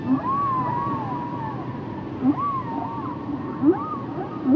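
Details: Singing humpback whale giving a series of arching upsweeps and wavering tonal cries, alternating with short low upward whoops about every second, over a hissing underwater background.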